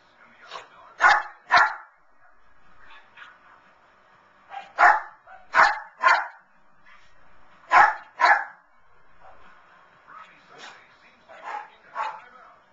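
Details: Vinnie the Lhasa Apso watches the 2011 Puppy Bowl on television and joins in. He gives quick paired and tripled yaps every few seconds, loud then quieter, over a low murmur of TV sound.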